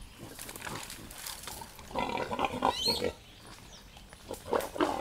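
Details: Wild pig mother in a forest confronting a playful Boerboel dog and stopping him, grunting in loud harsh bursts with squeal-like tones, amid rustling and scuffling.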